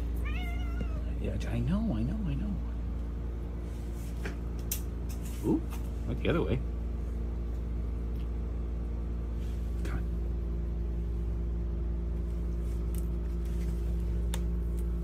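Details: Domestic cat playing fetch indoors, giving a few short wavering meows early on, followed by two brief higher cries, with a person speaking softly and a steady low hum throughout.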